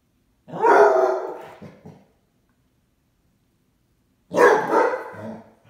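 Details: Basset Hound, upset because its owner went out on errands without it: two loud, rough, harmonic barking bursts about four seconds apart, each lasting over a second and trailing off, with silence between.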